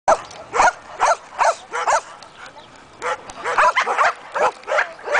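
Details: One-year-old Belgian Malinois during guard and protection training, giving loud, harsh barks in quick bursts, about two or three per second with uneven gaps and a short pause midway.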